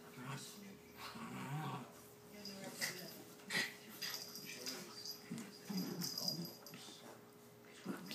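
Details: Two dogs named Chubbles and Cuteness tussle roughly, Cuteness standing up to Chubbles. Low rumbling growls and short grunts rise and fall through the scuffle, with sharp breathy puffs and faint talking behind.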